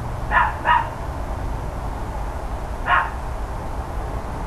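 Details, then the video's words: Loud barking from the neighbours' dogs, recorded 13 October 2012 in the morning near 10 AM: a quick double bark, a pause of about two seconds, then one more bark, all over a constant low hum. "Barking Dogs Loud Neighbors"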